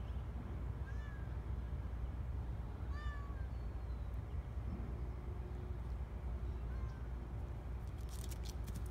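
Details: Young male kitten, newly allowed outdoors, up a tree outside, giving three faint short meows spaced a few seconds apart over a steady low rumbling background, with brief high clicking near the end.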